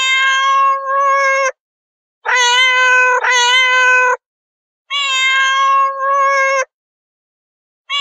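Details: Long, sustained meows from domestic cats, two running back to back, then a pause and another extended call that wavers slightly in loudness; clear tonal cries with many overtones and silence between.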